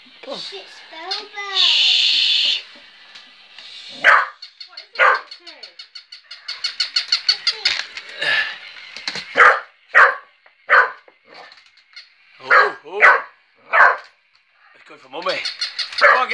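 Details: Working cocker spaniel Mitsy reacting to a battery-powered toy puppy, with barks spaced irregularly through the second half. A brief whine or voice comes near the start, a fast toy yapping runs in the middle, and there is some noise.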